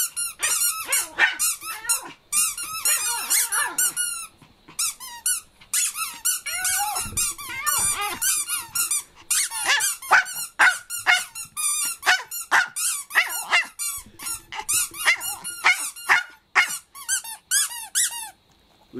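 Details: Kohaku, a pet Chihuahua, suddenly starts singing indoors, surprising the family: rapid high squeaky yelps with rising and falling arcs, delivered in uneven bursts of about two a second with short pauses between phrases.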